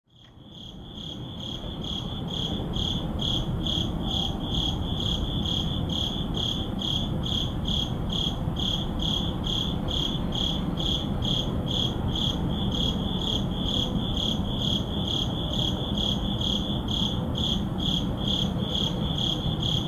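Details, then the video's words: Crickets at midnight in an urban neighborhood, filmed with a Sony a7CII and ECM-M1 microphone: a steady, high pulsing chirp repeated about twice per second over a low constant rumble of city background noise. "Urban Midnight Crickets"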